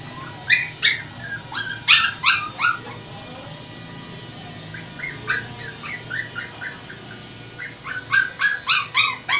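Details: Poodle giving high, short yips and whimpers in three quick bursts of four to six notes each, separated by quieter stretches of thin whining; steady low background hum throughout.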